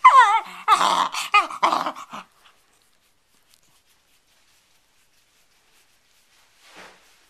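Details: Bedlington Terrier playing with a cloth and nearly choking on it: a burst of wavering, high whining yelps with a nasal edge over about two seconds, then near silence with one faint rustle near the end.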